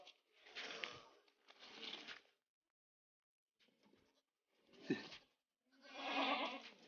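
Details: Long-eared goat kid on a village goat farm, giving a run of harsh, broadband bleats in separate bursts, about five over seven seconds, one faint, the last longest and loudest, in a quiet indoor setting.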